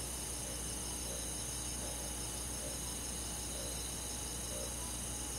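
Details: Summer night insect chorus of crickets in the countryside woods: continuous high-pitched pulsing trills from many callers at once, evenly loud throughout, over a soft low droning background.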